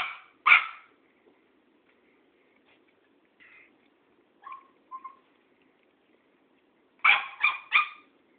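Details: Cairn Terrier confronting an old tomcat: two loud yaps open the clip, then soft short whimpers and a long quiet stretch, ending in a rapid burst of three sharp barks.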